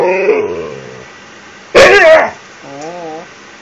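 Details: Siberian Husky begging for an empty toilet paper roll during its nightly routine; a faint whine fades out, then a short loud warbling yowl, followed by a soft wavy, undulating whimper.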